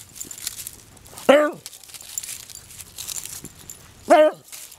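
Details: Bonnie, a 20-year-old beagle, out hunting in a rural outdoor setting: two loud, short yelping bays about three seconds apart, each dropping in pitch, with soft rustling and movement between them.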